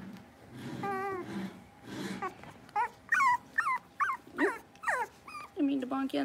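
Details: Blenheim Cavalier King Charles Spaniel puppies aged six weeks, kept in a home puppy pen; a low murmur of voices opens, then high, quavering puppy whimpers come in short bursts over the second half.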